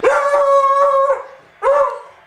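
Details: A dog barking at the TV while a baseball player is at bat gives a drawn-out, howling bark, then starts a second, shorter one.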